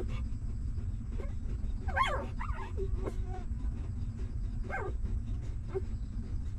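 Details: Hungry newborn stray puppies at their mother's side during feeding give squeaky, wavering whines and yips, a cluster of falling cries in the middle, then another sharp whimper later, all against a continuous low muffled background of nursing.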